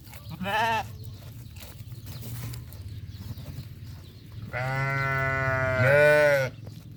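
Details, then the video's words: Farm sheep and goats calling: one short bleat early on, then a long, loud, quavering bleat lasting about two seconds near the end, over a low constant hum. "The sounds of goats and sheep on the farm are beautiful"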